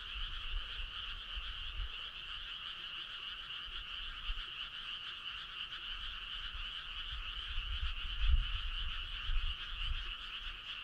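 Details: Summer-night frog choir along a starry country road, a dense, evenly pulsing trill holding steady in two bands throughout, with soft low rumbling and a few dull knocks late on.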